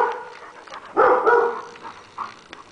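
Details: Boxer playing with a Great Dane; one short, loud, tonal whining bark rises near the middle, with a few faint yips before and after.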